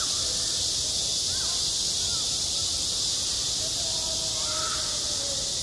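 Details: On a school playground in the height of summer, cicadas keep up a continuous piercing hiss, evenly loud throughout, with a few faint distant voices or calls barely audible below the drone.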